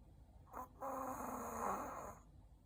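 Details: Ku-chan, a Shih Tzu, dozing after eating: a brief snort, then one long, buzzing snore lasting over a second that wavers slightly in pitch before fading out.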